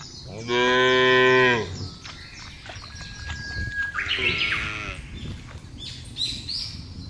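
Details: Cattle in a big herd herded across a broad grassy field. One loud, long, steady moo of about a second opens, and a softer, more distant moo follows, with chirping birds in the background.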